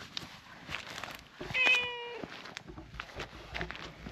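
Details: Cream-coloured stray cat outdoors, enjoying having its face rubbed; a single short meow with stacked harmonics, followed by soft rustling and handling noises.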